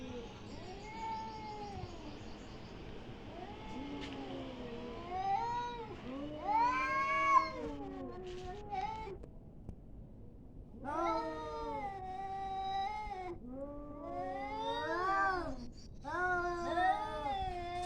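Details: Prolonged cat fight: a series of throaty, wavering yowls and arched, rising-then-falling wails comes in bursts of one to two seconds, growing more intense and overlapping in the second half.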